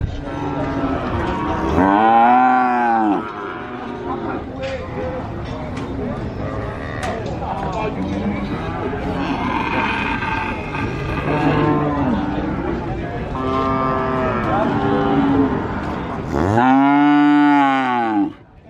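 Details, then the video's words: Cattle at the cattle market of Sokaraja, Purwokerto, Banyumas, Indonesia: loud arching moos near the start and end, several fainter moos between, over a steady crowd and market murmur. "SUARA SAPI ASLI BUNYI SAPI ASLI COW SOUND EFFECT CATTLE SOUND VOICE SUARA SAPI SERAM BESAR"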